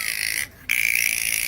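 Striped dolphin giving bright, hissy high-pitched sounds with a steady whistle after a brief pause.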